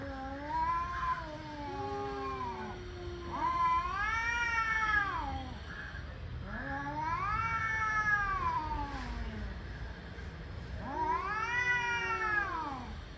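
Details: Angry male cats warming up for fighting, giving long wavering yowls that rise and fall, four drawn-out howls roughly every three to four seconds, overlapping voices at different pitches.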